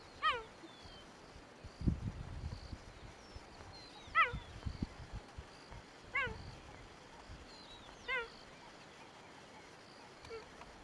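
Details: Barking cheetah, Kruger National Park, South Africa. Loud, brief high yelps that slide downward come about every two seconds, five in all. Faint bird notes and low rumbling thuds sound behind them.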